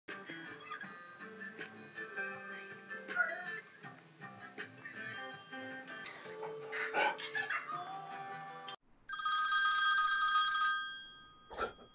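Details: Background music plays with speech, then a phone ringtone chimes loudly near the end, with no animal sound.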